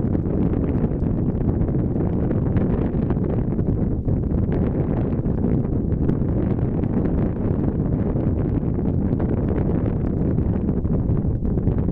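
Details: Steady low roar of wind buffeting the microphone, with no bird calls audible.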